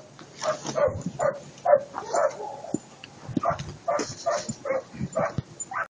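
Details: Eight-month-old German Shepherd puppy Attila ot Salmoxis yips and whines in a steady series of short, tonal, whimpering bursts, roughly two every second, with faint background noise between them.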